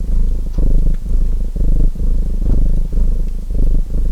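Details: Domestic cat purring in a relaxing mix with a crackling chimney fire: a deep, rumbling pulsed purr that swells and fades in breathing phases roughly every half second to second, with faint sharp fire crackles on top.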